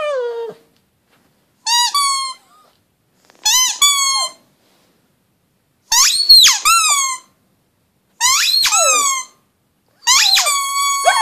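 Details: Howling pug indoors: six separate cries spaced about two seconds apart, each a quick upward yelp bending into a held, slightly falling whine, the middle ones louder and more strained.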